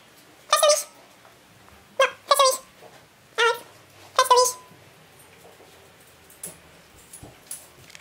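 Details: Three-month-old male Parson Russell Terrier puppy learning the trick of fetching his leash gives five sharp, high yapping barks in the first five seconds, two close together. Softer faint sounds follow in an otherwise quiet room.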